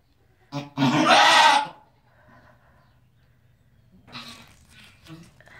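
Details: Angora goat giving birth lets out one loud, harmonic bleat lasting about a second, followed by quiet rustling and a soft human voice.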